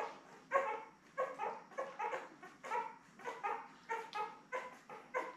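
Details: A litter of seven Labrador Retriever puppies, born May 24, 2021, beside their mother Belle on June 3. Repeated short, tonal whining cries, one after another about once per second, over a soft background hiss.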